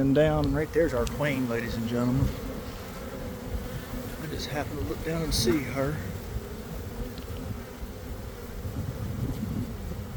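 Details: Swarming honey bees leaving a hive near a garden around one in the afternoon following a cold, wet week; a steady deep buzzing continues beneath stretches of a man talking at the start and middle.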